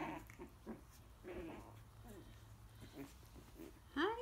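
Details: Coton de Tulear pups, nearly four weeks old, tussle and bite in their pen under their mother's eye; soft grumbling growls and snuffles, ending in a sharp rising whine.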